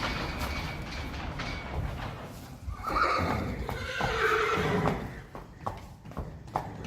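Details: Young Friesian filly out in the field for her first time, giving short harmonic whinnying calls in the middle of the recording, amid rustling, soft thumps and low background noise.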